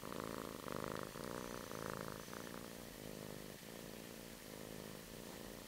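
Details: Domestic kitten purring just after waking in its kitten bed, a continuous low throbbing rumble, slightly louder in the first two seconds, then steady and soft.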